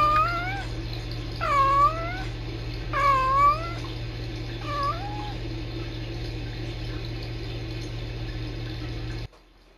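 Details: Tiny Kittens Society rescue kittens Sisko and Mila trill to each other on a live-stream cam: four quick chirrups that dip and rise, close together in the first five seconds, then only a low hum until it cuts off.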